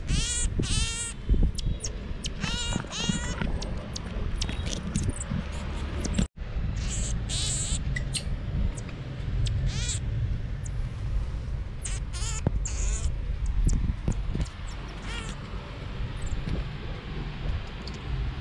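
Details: Pet marmoset playing on a bed with family members, uttering repeated sharp high chirps in clusters, some stacked and squeaky, with a brief dropout midway and low room hum throughout.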